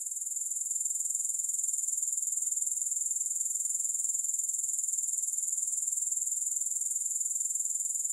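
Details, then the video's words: Continuous shrill grasshopper chorus without music: a thin, high, rapidly pulsing buzz that holds unbroken at even loudness throughout. "Grass Hopper Sounds"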